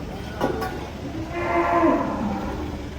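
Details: Cattle being unloaded from a truck in Indonesia give a drawn-out moo with stacked harmonics rising and fading over about a second, after two short clatters, against steady background rumble.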